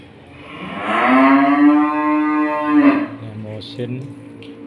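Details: Fattening stock cattle in a pen, feeder calves being raised for fattening; one long, loud moo of about two seconds, steady and harmonic with a slight rise at the end, followed by quieter rustling and faint talk.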